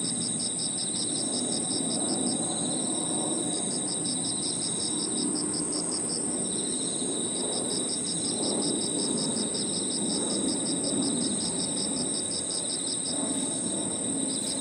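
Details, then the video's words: Evening in a park, crickets and other insects calling together: a constant high ringing tone, runs of rapid pulses that pause and resume, and a buzzing trill, with soft low background murmur. "Harmonious sound of crickets and other insects 저녁 공원 풀벌레 소리"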